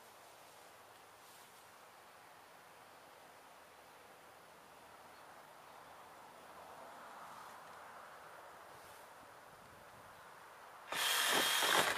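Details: Quiet outdoor hiss with a faint rustle, ending in a sudden burst of loud broadband noise, no animal call heard.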